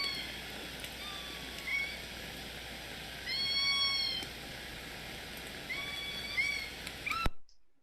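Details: Southern resident killer whale, K-pod's S16 call: short, harmonic, mewing upsweeps like kittens, repeated over steady hydrophone hiss; each family has its own accent and favourite calls.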